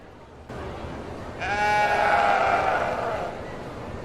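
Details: Domestic sheep bleating on a farm: one long, wavering, nasal bleat lasting about two seconds, with a faint hiss of background noise before and after.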